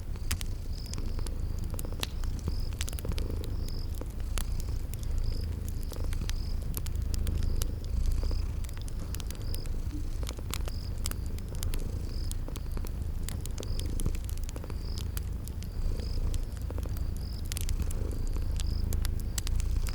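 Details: Steady low purring from sleeping cats beside a crackling fire, with wood pops scattered throughout and a faint, evenly repeating high cricket chirp in the background of a spring garden ambience.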